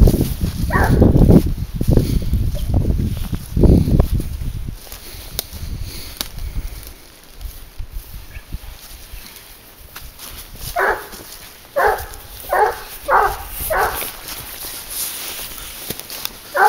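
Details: Leashed hunting dog Garuo, 22 months old, working a wild boar trail: heavy low rustling and crashing first, then after a quiet stretch a run of five sharp barks about every half second to second.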